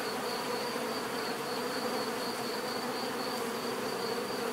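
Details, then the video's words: A thick, steady buzz from numerous bees fills the clip, a constant low drone with a faint high whine running above it. "bees therapy relaxing natural buzzing sound"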